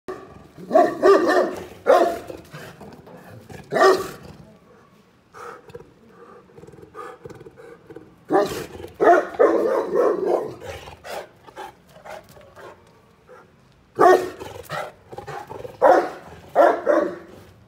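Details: Saint Bernard barking while guarding premises at night in darkness. Loud, deep barks come in bursts: two early, one near four seconds, a cluster with a drawn-out tone around eight to eleven seconds, then a final run of barks.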